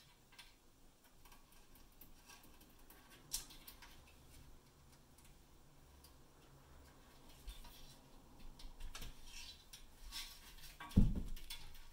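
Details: Quiet indoor room tone with soft ticking and tapping, a few clicks and a dull thump near the end, and no animal voice.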